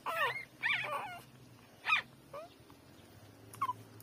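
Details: Three-day-old newborn puppies nursing from their mother: several short, high whimpering yips with sliding pitch, a cluster in the first second, then isolated cries at about two, two and a half and three and a half seconds, over a quiet low hum.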